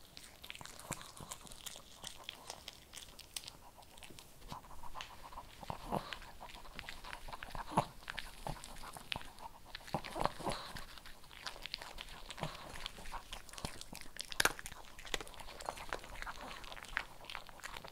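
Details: A Shih Tzu works steadily through dry kibble, with a long run of dense, gritty crunching and scattered sharper snaps in a small indoor space.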